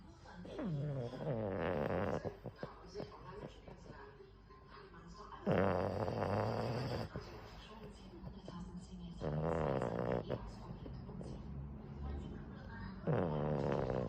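A Boston Terrier snores in slow, rasping, rattling breaths, each lasting over a second and returning every few seconds.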